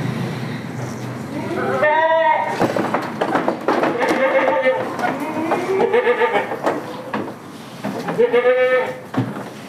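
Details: Village farm goats of the Damascus and Jamunapari breeds bleating repeatedly: several quavering, nasal bleats spread across the recording, mixed with human voices and clattering farm noise.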